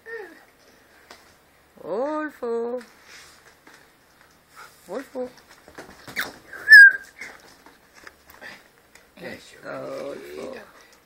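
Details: Husky, a pet albino cat described as able to "talk", at home with a second cat named Teide and the family's two dogs; gives short harmonic, rising, chattering meow bursts in three spells, with soft human voices between.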